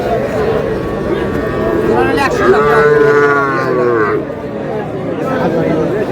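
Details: At a cattle market in Chattogram, Bangladesh, where a farmer buys Sahiwal bull calves on 26/4/26, one long moo swells and fades over about two seconds beneath men's haggling voices and market hubbub.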